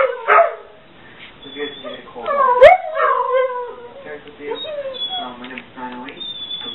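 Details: Two household dogs howl in a chorus set off by a ringing home office phone. Wavering, sliding howls include one sharp rising whine midway, then softer, thinner tonal notes trail off toward the end.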